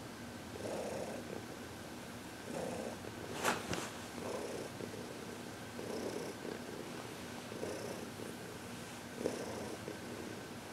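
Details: Purring from Heidi, a senior cat aged 14 adopted from the Humane Society of New York City, relaxed under massage and reiki, February 22, 2021; rhythmic breathy purr pulses, with a sharp click partway through.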